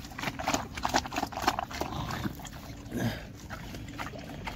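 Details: Pigs on a farm in Assam, India, giving short grunts about every half second, set against busy clicking, slurping and sloshing of feeding.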